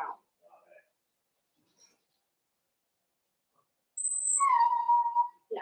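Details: Four-week-old Cavalier King Charles Spaniel puppies in a home puppy pen, meeting older dogs and trying puppy mash, give a drawn-out, steady whine near the end, preceded by faint soft squeaks and a brief high thin tone.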